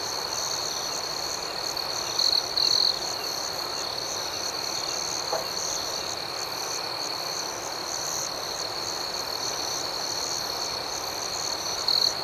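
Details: Night chorus of crickets: an unbroken shrill tone with brief trilled accents around 2 and 12 seconds, faint rhythmic higher chirps overhead, and a quiet background hiss throughout.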